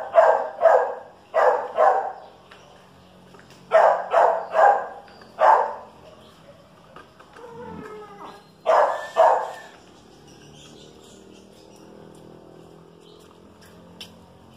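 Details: Chihuahua versus dachshund, two pet dogs: sharp barks in quick bursts of two or three, with pauses between clusters, a brief whining squeal midway and quiet stretches near the end.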